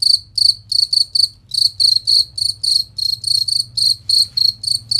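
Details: Clear, piercing chirps of a cricket in a songbird-training master recording: fourteen rapid buzzy bursts in quick rhythm, a brief pause after the first few, then a steady train to the end.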